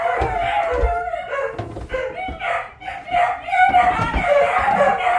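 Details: Beagles downstairs in a house bark and bay in drawn-out, wavering howls, raising the alarm while their owner talks over them.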